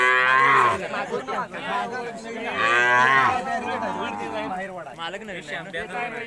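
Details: Khillar cattle at a cattle show in India, with an announcer over loudspeakers; several overlapping deep moos, each about a second long with strong harmonics, calling one after another amid crowd noise.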